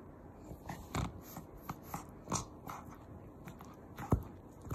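A pug makes breathy, noisy snorts and snuffles, a few loud bursts spaced a second or more apart. The grunting, nasal quality sounds much like a pig.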